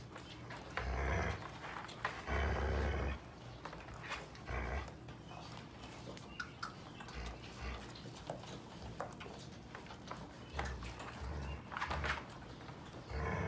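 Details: Seven-week-old Sheepadoodle puppies from Pepper's and Coco's litters together indoors as their mother Pepper visits. Low rumbling growls come in bursts of a second or so, with scattered higher yips, scuffling and clicking noises between.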